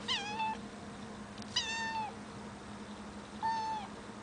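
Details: Cat afraid of heights, meowing from somewhere too high; three drawn-out, tonal meows with a level or slightly falling pitch, each about half a second long and spaced over two seconds apart, over a steady low hum.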